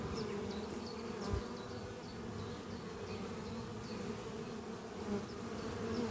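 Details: Worker honey bees swarm around their oak-chest horizontal hive in spring, producing a constant humming drone; faint bird chirps repeat in the distance and an occasional bee passes close with a louder buzz.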